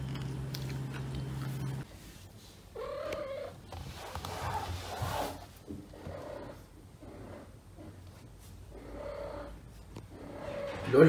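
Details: Female domestic cat Asia, in heat and still weak after being unable to walk, roams a home full of neutered cats seeking a mate; a series of drawn-out, tonal yowls rise and fade every second or two amid low room hum.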